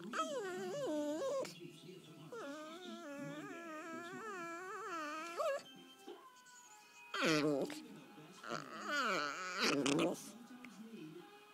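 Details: Taylor, called Tater Tot, a small mixed-breed dog of about 5½ years, possibly Chihuahua, Pug, Min-pin and/or Jack Russell, growls during gentle play as her foot is toyed with: long wavering, warbling whine-growls, then short harsh bursts.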